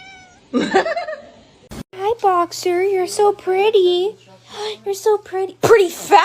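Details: A domestic cat meowing again and again, short harmonic cries often bending up then down, several in quick runs with brief pauses; a person talks between and over the calls, and there is a sharp knock near the start.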